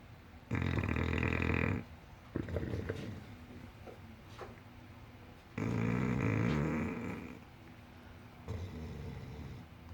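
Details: English Bulldog asleep and snoring: two long, harsh, low grinding snores about five seconds apart, separated by softer wheezy breaths and small snuffles.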